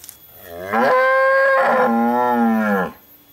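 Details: A cow (Bos taurus), said to have been raging shortly before, gives one long, drawn-out moo that rises, holds and falls away.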